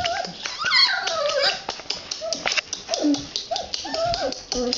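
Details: Red Standard Poodle puppies in their whelping box squeak and whimper in high, wavering, rising and falling cries, several overlapping, with brief handling noises in a small indoor room.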